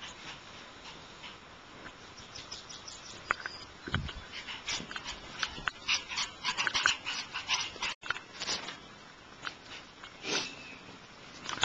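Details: Squeaky, piping yelps from young Shiba Inu puppies come in quick clusters, growing denser and louder in the second half, with a brief dull knock near four seconds.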